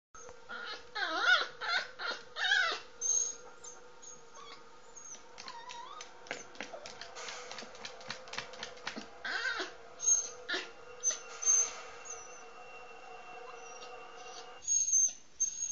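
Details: Pet poodle crying and whimpering indoors while begging for food as people eat; high wavering whines come in short bursts between clicks and clatter, with a steady background hum throughout.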